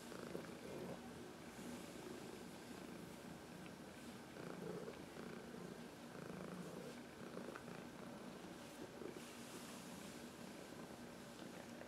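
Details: Heidi, a 14-year-old senior female cat adopted from the Humane Society of New York City, purrs while rubbing against a person's knuckles to massage herself indoors; a soft, steady low rumble with gentle swells and faint background hiss.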